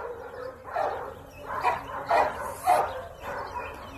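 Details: Dog barking in short, separate bursts, five barks spread unevenly over about four seconds, with quiet background noise between them.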